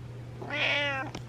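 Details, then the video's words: Butters the cat meowing for attention at night indoors: one drawn-out harmonic meow of about half a second, rising then falling, followed by a short click; a steady low hum runs underneath. "I Need Attention Meows"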